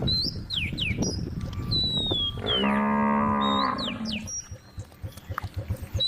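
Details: Tame cow, a female with her calf among a group in a grass field, lets out a single full moo of about a second and a half, surrounded by sharp bird whistles and a rustling background.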